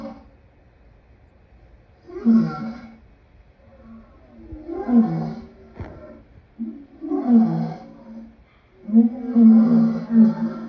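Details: Lion giving four separate harsh, throaty vocal bursts about two to three seconds apart, each a rough, rumbling roar-like groan with quiet gaps between.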